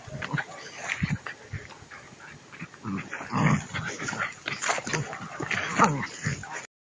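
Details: Two-month-old puppies tugging at a rag in prey drive training, giving repeated short, rough growling bursts and snarls almost without pause, over a faint constant hum.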